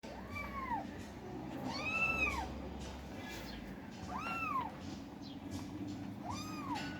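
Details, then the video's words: Kittens fighting for food, giving four clear, arching meows that rise then fall, spaced about two seconds apart, over a steady low hum. "Kittens Fight For Food"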